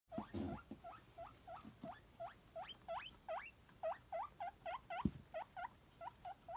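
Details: Guinea pig wheeking excitedly while hoping for a celery treat: a steady series of short rising squeals, each sweeping upward, repeated roughly every third of a second, with soft crunching and rustling beneath.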